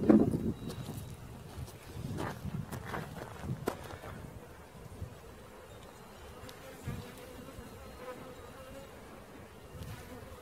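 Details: Honey bee swarm being caught, a steady droning buzz with a hum band around the middle register, punctuated by clicks, knocks and handling noises.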